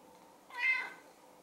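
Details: Sushi, a silver tabby pet cat indoors, looks at the camera and meows as if talking to it: a single clear, bright meow of about half a second that rises and falls, with strong harmonics, in a quiet room.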